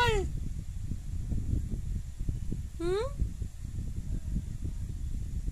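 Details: Domestic cat with two short meows about three seconds apart, the first falling in pitch, the second rising, heard against a loud low rumble.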